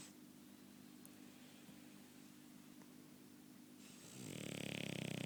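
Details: French Bulldog snoring: soft, steady low hum and breathing for about four seconds, then a louder, harsh rattling snore swelling at the end.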